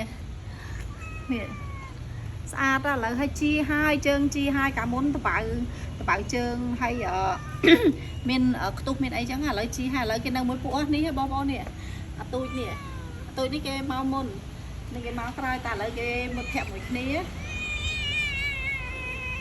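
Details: Stray cats at a pagoda being fed at an old lady's place: many overlapping meows, wavering and rising, repeated almost continuously, with a person talking in the background.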